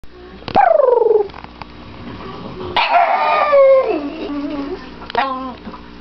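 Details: Pet dog howling happily to greet its owners as they come home: a loud sliding howl falling in pitch, a pause, then a longer wavering howl dipping low, and a short final yelp.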